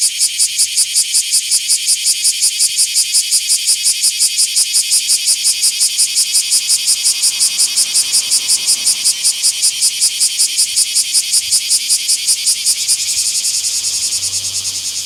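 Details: Bear cicada on 24 July 2026 in a small park, repeating rapid metallic buzzy pulses at a steady beat of nearly three per second, blurring and softening in the last seconds, with a faint low rumble.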